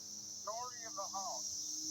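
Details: Many cicadas, with perhaps 50 to 100 flying around a small tree in 2021, make a steady, high, hissing drone, with a person's voice speaking briefly over it.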